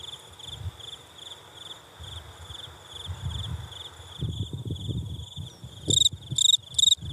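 A steady, high insect trill runs throughout, joined near the end by loud pulsing chirps.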